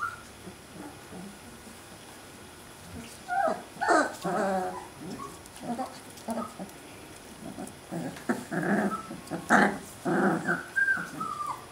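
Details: Alaskan Malamute puppies, 2012 litter, out of their whelping box: soft scattered whimpers at first, then rough growling bursts and yelps around four and again from eight to eleven seconds, with a few high whines.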